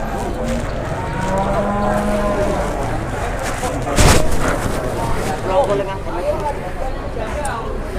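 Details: Jumbo cattle in the morning at Pasar Jelok livestock market, Boyolali, Indonesia: a low, drawn-out moo rises briefly above busy crowd chatter and speech, with a sharp loud knock midway and steady market din throughout.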